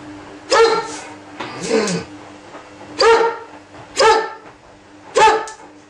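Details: Make, a male Ibizan Hound, just woken and lacking something, barks insistently: five loud, ringing, harmonic barks spaced about a second apart, each with a short rising yelp quality, over a steady low indoor hum.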